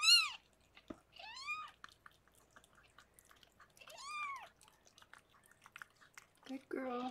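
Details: Indoors during the birth of six kittens to Harlequin, a rescued pregnant foster cat: thin, high-pitched arched cries come in short separate bursts among faint licking and clicking sounds, with a brief lower voice at the end.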